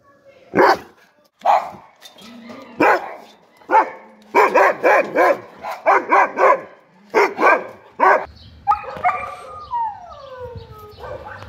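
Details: Dog barking in a rapid, irregular series of sharp, rough barks, some doubled, followed by drawn-out whining notes that slide downward near the end.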